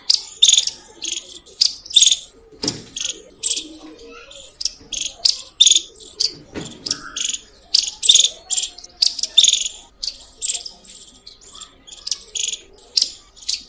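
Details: ['Loud squirrel chirping: a rapid series of sharp, high, squeaky chirps, often in quick pairs or triplets, repeated steadily for the whole stretch, with faint low voices and rustling underneath.']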